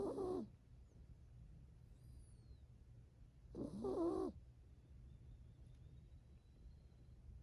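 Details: Sleeping seven-year-old female toy poodle, a rescued purebred, napping on a lap: two breathy snores about three and a half seconds apart over a low steady hum, with faint bird chirps from outdoors.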